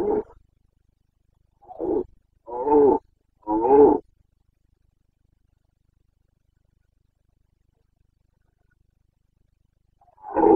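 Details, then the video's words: Rutting Carpathian stag in the Bucovina mountains, September 2022, giving a run of three short, gruff roars in quick succession, then a long quiet gap before another bellow begins; nothing else audible. "Boncănit / Carpathian stag Breeding season"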